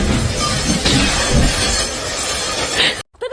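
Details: A loud crash of shattering glass over music, then a moment of near silence.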